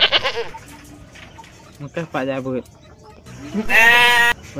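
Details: Goat giving one loud, quavering bleat near the end, rich in harmonics, after stretches of softer voice-like sounds.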